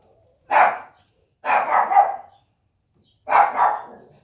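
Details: Husky mother and her pups asleep together; a puppy accidentally kicked by its mother gives three separate yelps, the second long and wavering, with short silences between them.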